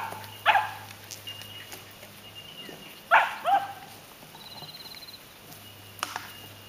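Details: Lani's pups at seven weeks at play with adult dogs give a few sharp, high yips spaced several seconds apart, one followed by a brief whining slide, with a faint hum and quiet gaps between.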